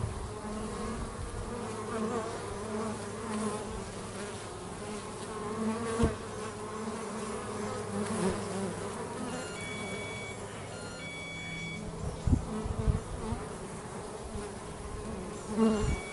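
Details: Working bees at home make a continuous low droning hum, with occasional louder passes nearby and faint high steady tones in the background.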